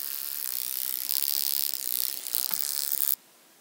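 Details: Stenobothrus rubicundulus, the wing-buzzing toothed grasshopper, recorded at Mala Ucka in Croatia on 26 July 2023, gives a high, ratcheting buzz with surging pulses that stops abruptly after about three seconds, leaving silence.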